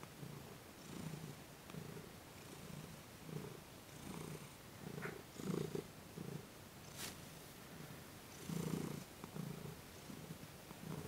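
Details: Cat being massaged, with light work on its legs and paws, on December 28, 2021, purring quietly: a deep, throbbing rumble in regular pulses with a brief click and faint rustling.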